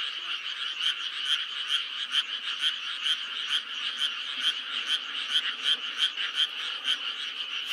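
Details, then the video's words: A chorus of frogs in May, one louder caller's clipped croaks coming roughly every half second above a steady, buzzing background of other frogs. "5월의 개구리 울음소리"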